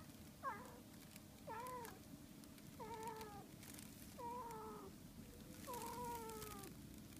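A Siamese cat gives a series of drawn-out, wavering meows, roughly one every second and a half.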